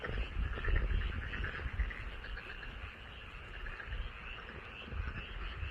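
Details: Frogs heard from a rice paddy by a house, a crowded chorus of quick croaks, roughly four pulses a second, irregular and overlapping, with strong low rumbling noise.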